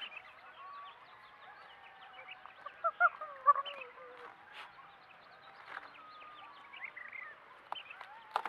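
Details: Rough-housing coyotes at play: thin wavering whines and squeals mixed with irregular yelps and a few loud sharp snaps, with quieter chattering between them.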